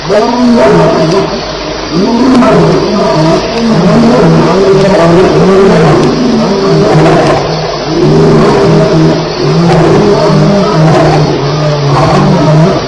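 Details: Lions fighting at night at Elephant Plains, 2:11am on July 9, 2010: loud, rough, repeated roaring and snarling calls that rise and fall in overlapping bursts, with crickets droning steadily underneath.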